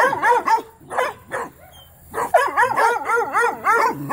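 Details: Young Mountain Cur pups bark at a trapped young raccoon during training, producing quick yipping barks that break off briefly, then resume as a dense chorus of warbling, overlapping cries.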